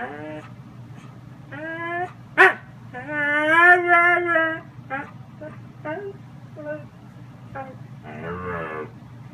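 A Siberian husky protests bedtime with wavering, talkative howls and whines that rise and fall in pitch.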